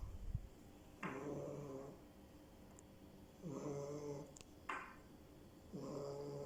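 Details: Snoring French bulldog puppy, slow drawn-out breaths about every two seconds, each a soft low rattle with a breathy whistle on top, interrupted by a couple of faint clicks in a quiet room.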